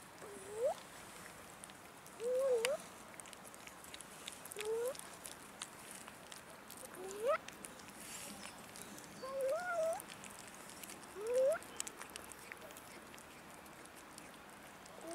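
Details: Abandoned cats wandering a city park, begging for food. Six rising, slightly wavering meows come roughly every two seconds, some ending in an upward squeak, over a constant low outdoor hiss.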